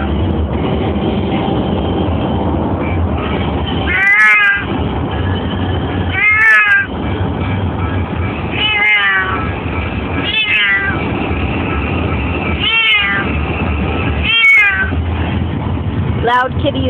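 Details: Domestic cat that does not like cars, meowing loudly: seven long, wavering, rising-then-falling meows, roughly one every two seconds, over a steady loud rumbling background noise.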